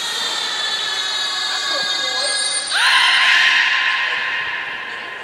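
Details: Beluga training at Port of Nagoya Public Aquarium, 11 July 2020, featuring Taanya, Nana, Mirai and Niko: a steady harmonic drone runs under a thin high tone, then a rising, bright squeal takes over.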